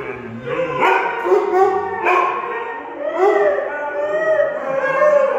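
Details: Husky, German Shepherd and Weimaraner howling together in a playful 'song and dance': overlapping, wavering howls with rich harmonics, sliding up and down and rising sharply near one and three seconds.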